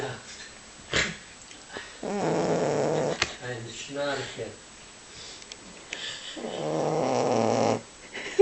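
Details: Male boxer asleep indoors, snoring loudly: two long rasping snores and some shorter snorting breaths, separated by quiet pauses, with brief knocks and faint background sounds.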